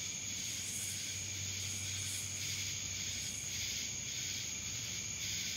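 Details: Cicada chorus from Dallas, Georgia, a constant shrill insect buzz with a thin, steady whine above it and faint rhythmic throbbing, plus a low hum underneath.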